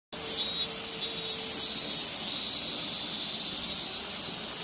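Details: Robust cicada (minmin-zemi) singing at the end of summer in Minoh, Osaka, Japan, still calling there after the city has gone quiet. A dense, high, hissing drone with pulsing surges roughly every half second, plus a faint steady low hum.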